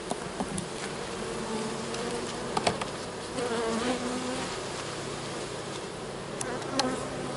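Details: Honey bees at an open hive while a beekeeper sets up a fall split into a nuc, a steady low droning hum of many wings with occasional louder passing buzzes and clicks of hive equipment.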